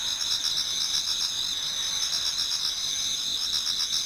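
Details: Autumn insects in a Japanese garden near daybreak, a loud layered chorus of high pulsing trills, some throbbing in quick regular beats of roughly four per second, over a soft continuous background.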